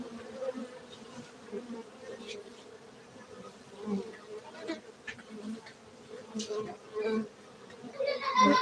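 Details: Honey bees at a honey bee farm in Gayo, Aceh, Indonesia: a steady, low droning hum of many bees throughout, with scattered voices and rustling handling noises in the background.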